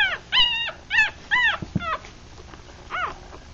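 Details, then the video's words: Newborn Rat Terrier–Chihuahua puppies, three days old and eyes closed, while feeding: a few sharp, squealing whimpers that rise then drop, bunched in the first two seconds, followed by soft rustling and one fainter squeak. "3 Day Old Puppies"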